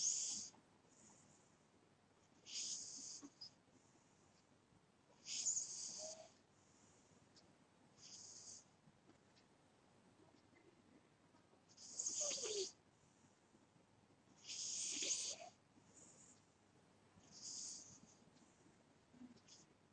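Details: Soundly sleeping pet cat with a long run of snores: eight or so airy, wheezing hisses, a few doubled, recurring about every two to three seconds against near silence.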